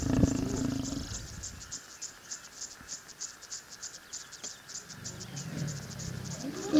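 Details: Mating lions in Kenya's Masai Mara National Reserve growl low and gravelly at the start and again near the end, with a quiet gap between filled by rapid, regular insect chirps.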